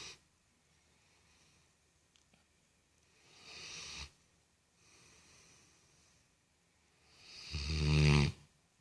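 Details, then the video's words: Sleeping dog snoring in soft, breathy waves, with a faint inhale around four seconds and a louder, rasping, harmonic snore near eight seconds; quiet pauses between breaths. "Funny dog ( snoring )"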